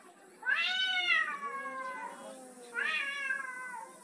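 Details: Domestic tomcat asserting dominance over a female cat, giving two loud, nasal yowling meows about two seconds apart, each starting sharply then sliding downward into a trailing moan.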